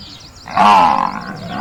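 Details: Buffalo on a farm letting out a short, rough grunt lasting about half a second, harsh and broad in tone, with faint bird chirps behind it.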